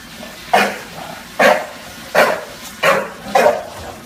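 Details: Junior the bulldog confronting a Roomba in NYC, giving five loud, abrupt barks spaced roughly a second apart, each a short harsh burst with a quieter echo trailing after.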